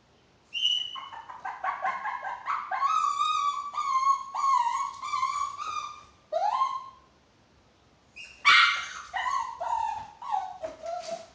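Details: Chihuahua giving long whining, howling vocalizations, drawn-out tonal cries around a steady pitch with rich harmonics, broken by pauses and ending in a sharp yelp and shorter falling whimpers, indoors.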